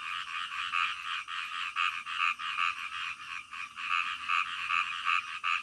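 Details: Night chorus of frogs: rapid, evenly spaced croaks repeating roughly two and a half times per second, several callers blending into a continuous throbbing drone.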